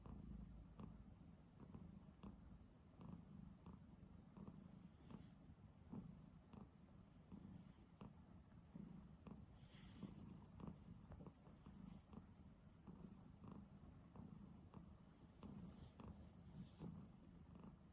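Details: Snoring from a pet cat deep asleep on a person's bed, a continuous low throaty rumble with rhythmic pulsing, plus occasional soft airy hisses on some breaths over eighteen seconds; no other sounds.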